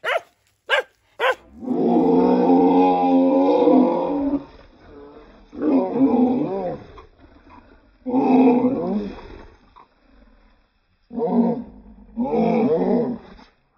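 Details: Mother dog fighting to protect her puppies gives drawn-out, throaty growling howls lasting two seconds or more, a few clicks at the start, then shorter harsh snarling cries separated by pauses.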